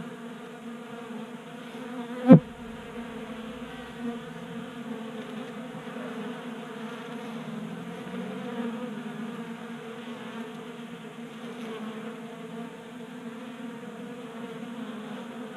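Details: Honey bees feeding at a 3D printed table-top feeder in a garage in Colorado, active on a warm 60-degree January day; a dense, steady low hum of many wings, with one sharp knock near the start.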